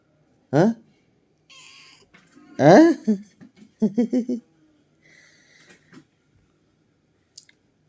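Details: Domestic cat indoors in a small room giving two loud, drawn-out meows with rising then falling pitch, followed by shorter pulsed cries, while a person talks in Marathi close by.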